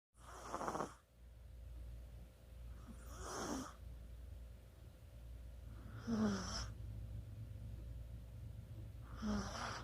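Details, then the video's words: Sleeping Chihuahua snoring indoors, recorded 24 October 2020: breathy, hissing snores about every three seconds, each a short noisy burst with a faint squeaky wheeze, over a steady low hum. "치와와의 코골이"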